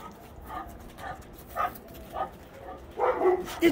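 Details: Great Dane excited at greeting another dog: a few short, high yipping barks and whines, the last cluster quicker and louder near the end, with a person's voice coaxing the dog along.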